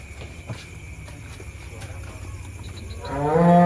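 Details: Giant cattle being loaded onto a truck late into the night, one of four animals; a loud, deep, harmonic moo swells in at the very end after a stretch of low rumbling and faint background noise.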